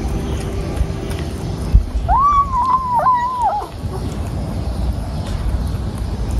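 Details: Mother cat, back in the morning after running away all night, gives a single drawn-out wavering meow of about a second and a half, rising, holding and dipping at the end, over a steady low outdoor rumble.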